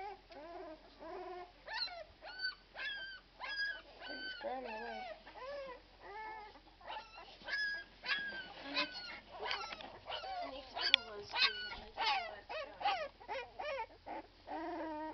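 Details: Twelve-day-old Irish Red and White Setter puppies heaped together, giving a busy chorus of high squeaky whimpers and short yelps, rising then falling, several per second, with quiet human voices.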